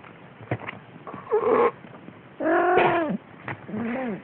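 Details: Siamese kittens almost six weeks old, wrestling and biting each other on 6 December 2011; three loud, harmonic, drawn-out cries that bend up and down, separated by short thuds and scuffles.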